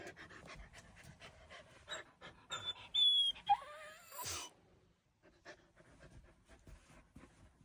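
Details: Morning yawn from Yuki, a Samoyed puppy: quick panting breaths lead into a thin, high squealing whine that bends downward and trails off breathily, then soft panting and rustling resume.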